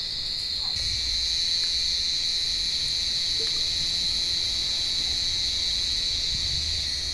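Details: Loud, even cicada drone from an olive tree on a warm evening as cats hunt the insects: an unbroken high-pitched buzz that barely changes, dominating the scene with little else audible.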